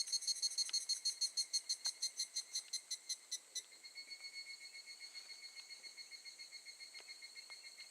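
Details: Higurashi evening cicada at Gakujin no Mori campground in Tokushima, August 2018, giving loud ringing pulses about four a second that suddenly drop to a quieter, steadier shimmering trill fading toward the end.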